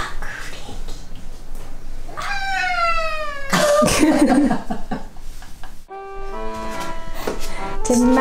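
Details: Ragdoll cat furious while being bathed indoors: a sustained wailing yowl that slides downward, then several shorter protesting meows, mixed with splashing water, human speech and background music.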